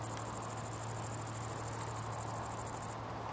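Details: Song of Great Green Bush-Cricket among a good few individuals in Itchen Valley Country Park, Southampton, England: continuous shrill high-pitched trill of fast even pulses, ending abruptly near the close, with a steady low electrical-sounding hum beneath.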